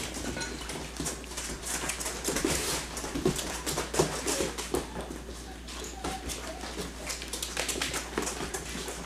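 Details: Yellow and black Labrador Retriever puppies aged six weeks play-fighting together, running and growling; rapid scrabbling and tapping throughout, mixed with short gruff grumbles and a few faint squeaky whines.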